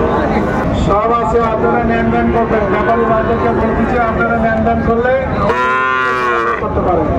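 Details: Sahiwal bull calves at a crowded cattle market where a Chattogram farmer is buying, 19 December 2024; a long steady lowing tone gives way to a loud, rich, harmonic moo near the end, over constant crowd chatter and bargaining voices.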